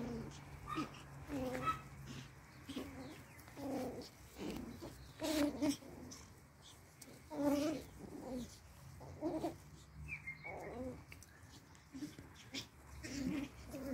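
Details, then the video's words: Four playing Pomeranian toy puppies give frequent short yips and squeaky grumbling noises in uneven bursts, with a constant low hum and a few sharp clicks behind them. "4 Pomeranian Toy Pom puppies 🐶 playing"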